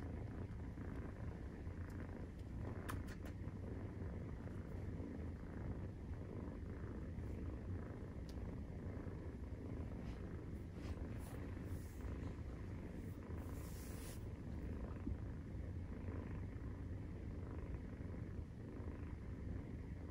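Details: Purring of Maine Coon cats at nursing time, kittens aged 43 days; a dense, low, pulsing rumble runs unbroken, with brief sharp clicks and rustling scattered over it.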